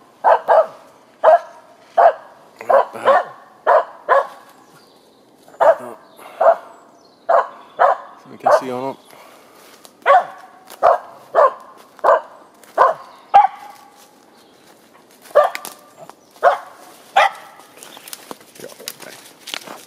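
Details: Finnish Spitz, a four-year-old female in heat, keeps barking at a squirrel she found in Sisjön nature reserve outside Göteborg, Sweden, early morning on April 17, 2020. Bright, clipped barks repeat steadily about eighty times a minute, with one yelping, wavering note midway.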